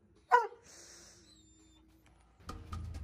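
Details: Roman, a Doberman, gives one sharp, short bark at the start, then a soft high tone drifts by, and clattering, music-like sounds rise near the end.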